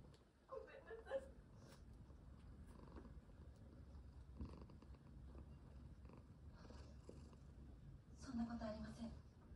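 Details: Relaxed domestic cat purring: a steady low rumbling purr runs throughout, with a few soft chirping vocalizations and a woman speaking Japanese quietly over it.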